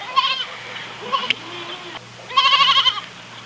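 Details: Quavering goat bleats with a pronounced tremolo: a brief cry, a quieter one, then a sustained wobbling bleat of about half a second, set against a low continuous hum.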